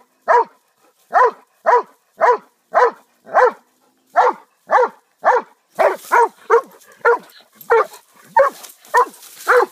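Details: Repeated barks from a pet dog, around eighteen rough yaps that quicken in the second half as background rustling and hiss rise behind them.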